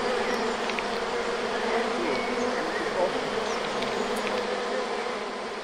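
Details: Loud, even hum of a natural honey bee swarm entering a reed-and-wood log hive at the Villa le Bosquet teaching apiary, a deep steady buzz with faint bird notes in the background.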